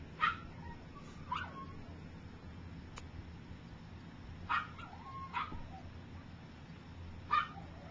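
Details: Three-week-old puppies learning to walk, a few still sleeping; brief high yelps and squeaks come in irregular bursts, some paired, with soft whining trails against a steady low hum.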